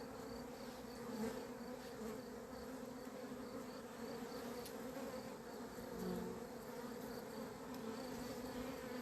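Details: Honey bees from a beekeeper's own hives on 28 April 2026, the bees described as having gone crazy; a steady, dense droning hum with two even low tones holding throughout, plus faint high ticks.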